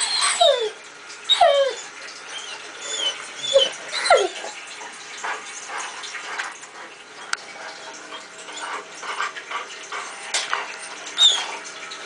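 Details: Female Irish Setter, a house pet indoors, whines while watching herself on a computer screen: high thin whines sliding steeply downward, several close together in the first four seconds, another near the end, over a low steady background hum.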